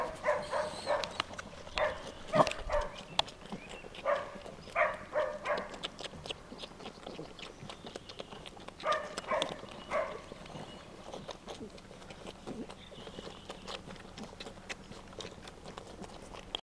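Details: A Cardigan Welsh Corgi, shown nursing milk from a mother cat, gives short, high, whining yelps in quick clusters. Each cluster is followed by a few seconds of quieter pause with soft rustling and background noise.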